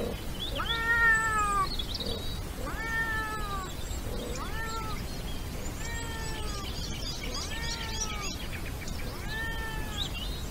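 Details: A European wildcat (Felis silvestris) in Iberia gives drawn-out, arching meows roughly every two seconds during the mating season.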